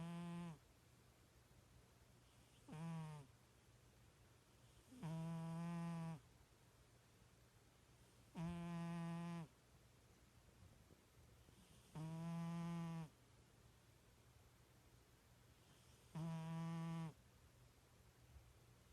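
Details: Domestic cat snoring in its sleep, likened to a little pig: six evenly spaced low, droning snores, each about a second long, recurring roughly every three and a half seconds against a faint indoor hiss.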